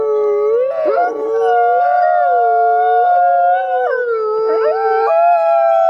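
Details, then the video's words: Two captive-born gray wolves in South Salem, New York, singing together to reaffirm social bonds; sustained overlapping howls hold separate pitches, with short wavering rises and falls and quick breaks around the first, fourth and fifth seconds. "Sometimes Wolves Sing Just to Make Music, as We Do"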